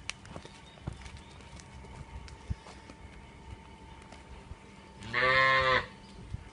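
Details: A short, bright moo from a Punganur cow, under a second long, following several seconds of quiet background with faint clicks.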